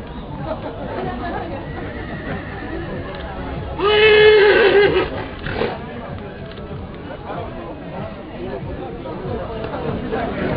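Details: Haflinger stallion named Astor, an award winner at the 2010 National Livestock Show in Sliven, Bulgaria, gives one loud, harmonic whinny about a second long midway through, surrounded by steady crowd chatter and background music.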